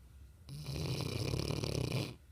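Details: One loud, vibrating snore from Trixie, a sleeping Mastiff, a coarse fluttering rattle lasting under two seconds, in a quiet indoor setting.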